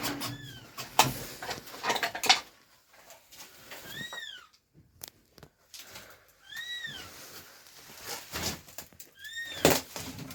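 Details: An abandoned stray kitten, rescued after two days in -11°C snow without food or shelter, gives four high, arching meows spaced a few seconds apart, between sharp handling clicks and rustling.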